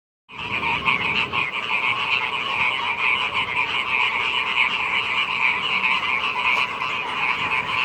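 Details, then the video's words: Frogs croaking as the rainy season arrives: a dense, continuous chorus of rapid pulsed croaks in two bright bands, one mid-pitched and one higher, with many callers overlapping and no pauses. "Kodok ngorek, musim hujan telah tiba"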